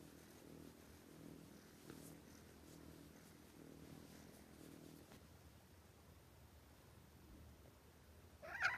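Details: A cat asleep and snoring too loudly, pulsing low rumbles for about five seconds that then fade to quiet, ending with a short sharp click.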